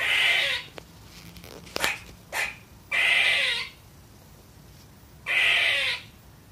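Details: A young female squirrel gives harsh, buzzy barks, each under a second, spaced a few seconds apart, barking at nothing in particular; squirrel.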